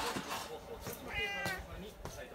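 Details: Male American Shorthair cat, 13 years old, kept at a family home, gives one short, tonal meow while sitting. Soft clicks and household noise are heard behind it.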